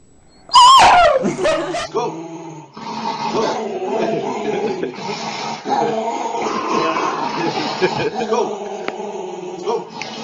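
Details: A dog lets out a sharp, high whimpering yelp with a wavering pitch, then a few shorter yips, followed by several seconds of dense, rough, noisy sound.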